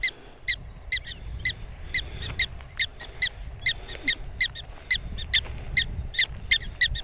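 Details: Prairie dogs complaining about nearby people, insisting they keep away: sharp, high chirping barks with bright harmonics, repeated roughly twice a second in an uneven run over faint low rumbling background.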